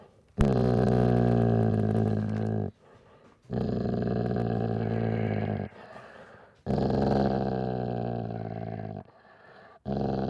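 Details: Dog growling in three long, deep, rumbling bouts of about two to three seconds each, separated by brief quiet pauses, with a fourth growl starting at the very end; nothing else audible.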